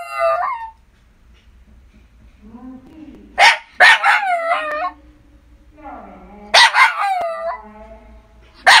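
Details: Shiba Inu at home letting out soft rising whines that break into sharp, ringing barks with long falling tails, coming in uneven clusters, separated by low murmuring whimpers.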